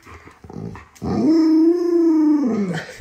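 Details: Indoors, the Alaskan Malamute Luoluo reacts to its bedridden owner. After a second of faint rustling, a single sustained howl of about a second and a half rises gently, stays level and drops off, with strong harmonics.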